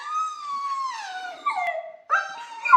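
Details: Dog howling inside a kennel: a long, drawn-out tonal howl starting fairly high, sliding gradually downward, and breaking into a second, shorter rising-then-falling howl near the end.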